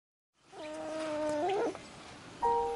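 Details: Sleeping puppy crying in a backyard: a thin, steady whine held for about a second that bends upward at the end, followed after a pause by a brief higher whimper.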